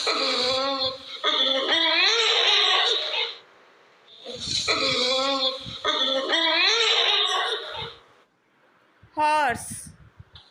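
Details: A horse gives two long whinnying neighs, each about three seconds of shrill, quavering calls that break into rapid fluttering pulses and then fall away, followed by a short, sharp cry.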